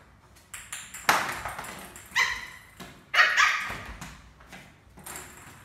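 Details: Adopted pet Lhasa Apso puppy playing a game of doggy cricket indoors; three short, sharp, harmonic barks about a second apart, mixed with light knocks and clatter from the game.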